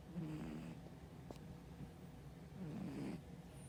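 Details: Sleeping brown tabby cat, said to be on a diet, snoring softly: two low, rasping breaths, one near the start and one near the end, with quiet room hiss between.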